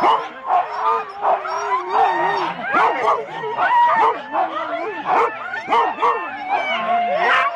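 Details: Four-dog Husky sled teams at the start in Rendlesham, January 2016, recorded on analogue cassette tape: a dense chorus of excited yelps, wavering howl-like whines and barks from many dogs overlapping continuously.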